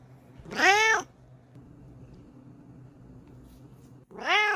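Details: Female Bengal cat sniffing and rubbing up against a phone camera indoors; one strong, slightly rising-falling meow, a quiet gap with low background hum, then a second meow starting at the end.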